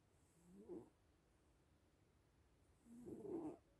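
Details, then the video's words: Little black and white cats sleeping, with two soft, low, breathy snores about two and a half seconds apart over a quiet background. "Sleeping little cats (and snoring)"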